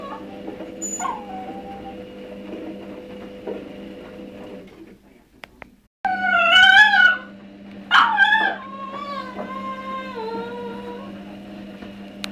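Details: A 1.5-year-old male Cavalier King Charles Spaniel cries in high, wavering whines while pining for a female in heat who lives downstairs in the house.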